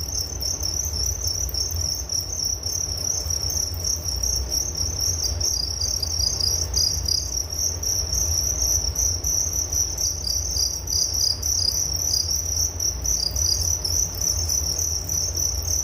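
A steady chorus of crickets fills the air with high, rapidly pulsed chirps that never pause. A faint low hum runs underneath throughout.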